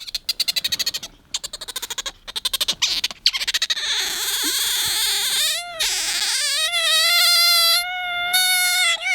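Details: Bingo, a pet otter in an attention-seeking mood, starts with rapid, stuttering chirps in quick bursts, then slides into a long, steady, piercing squeal that wavers slightly before holding level.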